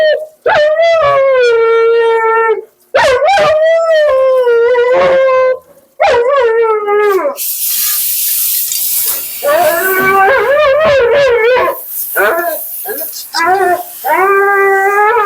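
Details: Talkative female Siberian Husky Mila complains at a grooming session during bath and blowout: drawn-out wavering howls and yowls in repeated bursts, with a loud hissing blast of dryer or spray noise midway, then more quick modulated cries.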